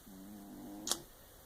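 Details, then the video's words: Diana, a pet cat, snoring while asleep indoors: a steady, low, humming tone with a faint whistle lasts about a second, then a single sharp click, over a soft background hum. "Snoring Diana"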